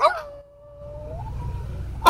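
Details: A French Bulldog, taught by its owner to howl, holds a smooth, mid-pitched howl for over a second, then slides upward into a higher held note, with brief human speech just before and after.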